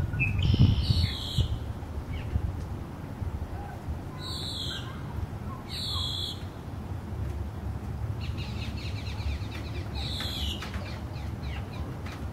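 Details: Female American alligators, three or more, grunting at Lake Tarpon near Tarpon Springs, Florida, heard from a short pier over the lake: one deep, rumbling low grunt early on, with high, buzzy bird calls repeating above it.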